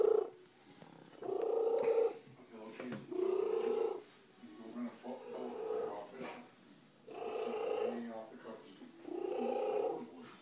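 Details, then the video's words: Slugo, an adopted female house cat, purrs loudly in uneven rumbling surges of one to two seconds, with quieter gaps and some soft background noise. "Worlds loudest cat"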